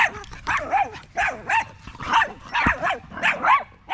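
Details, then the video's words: Staffordshire Bull Terrier among a group of male dogs on a long evening at the park, joined in a chorus of wavering, yodelling howls and whines that rise and fall in overlapping bursts, roughly one every half second. "male wolf pack chat"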